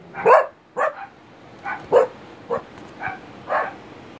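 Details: An Italian Greyhound, one of a pair, gives an uneven series of short, sharp, high, clipped yaps in the afternoon, roughly every half second, with quiet gaps between them.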